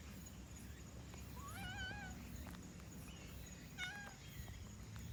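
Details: Black-and-white domestic cat vocalizing during a yawn: one soft, rising-then-level meow-like tone, then a brief clipped squeak, quiet against a steady low background hum.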